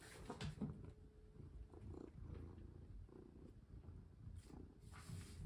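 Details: Pet cat at play indoors while a collar is fitted and a hand rests on its paw: continuous low, throbbing purr with light rustles and soft taps over it.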